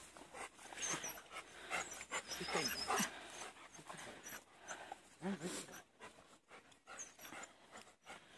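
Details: Four Labrador Retriever puppies outdoors; soft irregular panting and snuffling breaths with brief whimpery squeaks, loudest in the first three seconds, then quieter breathing bursts.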